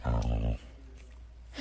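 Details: Large husky dog giving a deep, rumbling growl-like vocalisation for about half a second, low and throaty with strong harmonics, followed by quiet room noise; a person urges "come on, let's go" around it.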